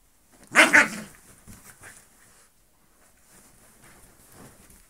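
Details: A Bull Terrier with her cousin, another dog, gives a loud, rough, double bark-like outburst, then quiet, soft grumbles, as if telling how she feels.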